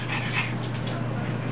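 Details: Short burst of breathy, airy pants from Rosie, a puppy at play with her mother, set against a constant low hum.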